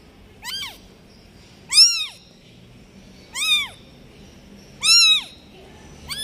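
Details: Newborn domestic kitten left behind by its mother, meowing: four thin, high, arched cries, each rising then falling, spaced roughly every one and a half seconds over quiet background.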